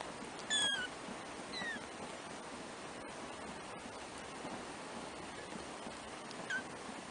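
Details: Four black 3-week-old kittens, first-born litter of a pet cat; a few brief high mews, one sharp at the start and another faint near the end, over steady background hiss.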